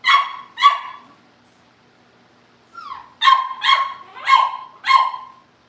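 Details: Cavalier King Charles Spaniel puppies, kept in a family home and near pick-up day, bark in quick bursts: two sharp yaps, a pause, a rising whine, then four bright barks in steady succession.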